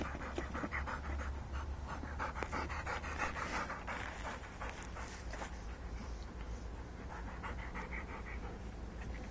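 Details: Rottweilers out catching mice pant hard and fast. Steady rhythmic huffing runs at roughly three breaths per second, strongest in the first half, over a low rumbling background.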